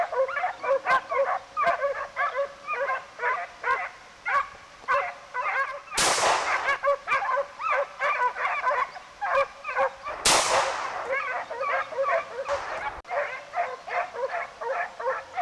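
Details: Pack of Segugio Italiano hounds, European champions of 2004, hunting hare: dense chorus of repeated yelping bays from several dogs, overlapping in quick bursts, broken by two loud gusts of wind or handling noise.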